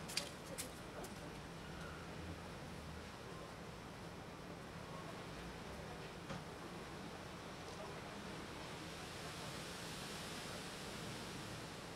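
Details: Low, even outdoor hiss with a few faint taps and rustles near the start, and no animal voice.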